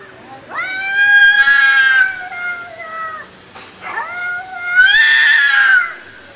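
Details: Two loud, stretched meows from a house cat, each rising sharply at onset, holding a high note, then sliding down, separated by a brief breathy pause.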